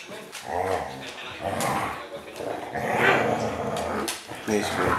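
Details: Siberian Husky 'talking' while play-biting a puppy indoors: drawn-out, growly moaning vocal bursts that rise and fall in several runs, with a person speaking over parts of it.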